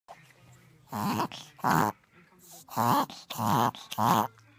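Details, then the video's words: Little dog having an inward sneezing fit, described by a vet as a sneezing fit in reverse; loud honking, snorting gasps come in five bursts of about a third of a second each, with short quiet gaps between them. "Chico's Inward Sneezing"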